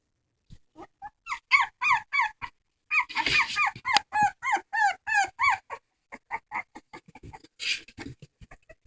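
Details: Dog crying in a rapid series of short, high, bent whining notes, about three per second, some rising then falling, broken by a brief burst of broadband rustling noise midway.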